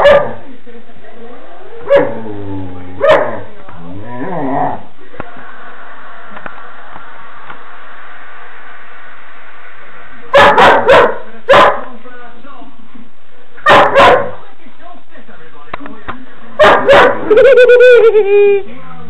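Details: A female puppy barks at her own reflection in a mirror, giving bursts of sharp, harmonic barks and yips separated by quiet gaps, some notes rising or sliding into whiny tones, followed by a person speaking.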